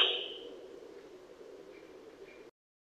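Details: Male sika deer recorded in autumn 2021 in Primorsky Krai, Russia: a loud high whistle opens sharply and fades within half a second, leaving a low hum that stops abruptly, followed by silence.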